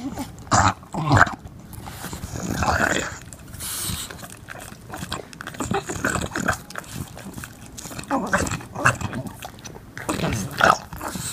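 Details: An English Bulldog gnawing on a bone makes rough snorting grunts and low growly rumbles in uneven bursts.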